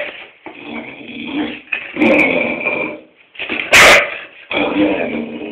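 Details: Indoor springer spaniel called Tobi barking at its owner without cause; continuous whiny, yelping vocalising broken by one loud sharp bark near the end.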